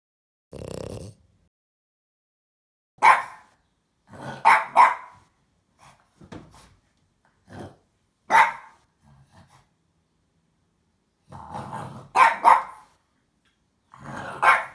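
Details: Apple, a snorty French Bulldog, barks at a box she wants to fight while playing; sharp barks come in short bursts and pairs separated by silences, with lower growly grunts and snorts between them.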